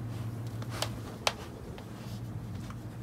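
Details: Indoors there is soft rustling and a few sharp clicks over a low room hum.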